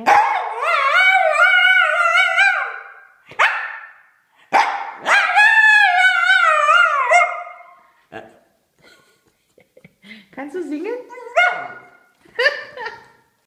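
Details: Domestic dog performing its opera-diva 'singing': long, loud, wavering tones with rich overtones, held for several seconds. Quieter, shorter whines and yelps follow near the end.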